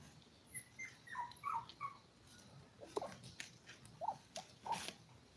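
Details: Litter of seven toy poodle puppies, five weeks old, livestreamed while eating, playing and sleeping; short, thin, high squeaky whimpers come in small clusters, with soft clicks and bumps in a quiet room.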